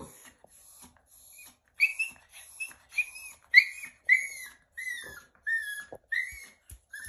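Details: A Yorkshire Terrier cries in high, thin whines during nail trimming in a grooming hammock, giving short falling squeals repeated roughly every half second.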